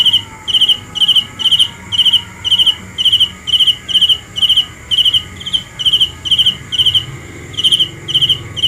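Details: Steady cricket chirps, shrill pulsed bursts repeating a little over twice a second with only a brief pause near the end, over a quiet hum.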